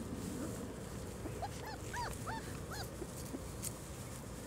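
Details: Litter of four-week-old German Shorthaired Pointer puppies on their first time outside, December 1, 2009: a run of arched, high-pitched whines, several in quick succession, heard through constant low background noise.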